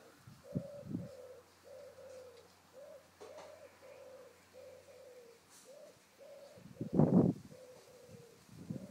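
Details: Five-week-old Bouvier des Flandres puppies at play with their mother outdoors in a garden: repeated short tonal whines in a run of about a dozen, broken by a few louder low thumps or scuffles near the end.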